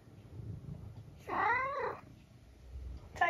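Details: Pet tabby cat indoors meows once, a clear arched call lasting about 0.7 seconds, followed by quiet room noise and the start of another meow near the end; a person's voice is heard nearby.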